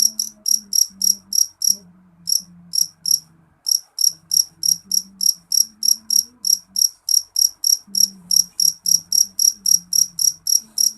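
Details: Jeliteng cricket, a loud, shrill call: short high-pitched pulsed chirps repeated about three to four times per second in a steady run, with two brief pauses, over a faint low hum.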